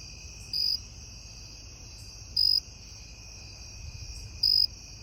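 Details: Night-time cricket song, short shrill pulsed chirps repeated roughly every two seconds, three bursts in all, set against a constant high insect hum and soft low background noise.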